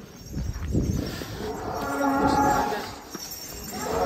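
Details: Giant prize cow named Rossi being ridden by a boy called Farel; a single sustained, harmonic-rich moo swells in the middle, with scattered voices and crowd noise before and after.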